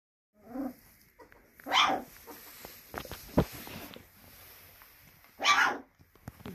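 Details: Female Belgian Malinois puppy, upset at not reaching her mother's milk, voicing frustration; two short, rough, whiny yelping barks several seconds apart, with soft rustling and small knocks between them.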